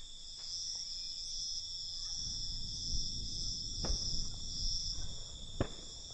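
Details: Nighttime crickets in a constant high chirping chorus, interrupted by a few sharp clicks or pops and a low rumble rising after two seconds.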